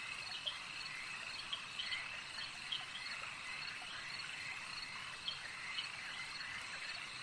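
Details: Lakeside frog chorus, many animals calling at once; a continuous high buzzing trill runs throughout, punctuated by brief bright clicks at irregular intervals, with no wind, water or voices standing out.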